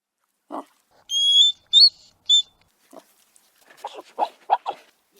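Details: Hedgehog, a small nocturnal animal, giving soft snuffling bursts and short grunts, mixed with brief high squeaky whistles that sweep and repeat a few times, with quiet pauses between.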